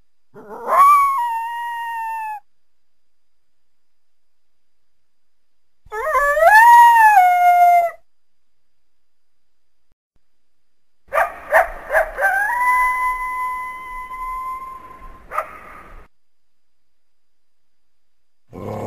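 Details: Coyote calling through the trees from a backyard on a winter day: three separate drawn-out howls, each rising quickly then holding a steady, slightly falling pitch for one to two seconds, with long quiet gaps between them.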